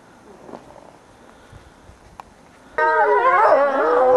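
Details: Ambassador gray wolves during a dominance interaction, 15 December 2008: quiet rustling, then a sudden loud burst of several overlapping high whines and wavering yelping cries for the final second and a half.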